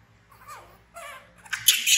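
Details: A baby monkey, orphaned and found in a village, frightened: two soft wavering whimpers, then a sudden harsh, very high-pitched scream that grows louder toward the end.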